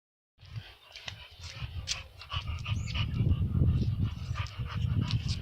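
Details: Dog panting in quick, rough breaths at about three per second, growing louder midway, with a faint whine and scattered clicks and rustles.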